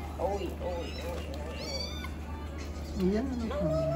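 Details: Newborn kittens, rescued after being abandoned on the street, mew while being fed. There are thin, rising-and-falling cries, several short ones early and two longer upswept ones near the end, over a steady low hum.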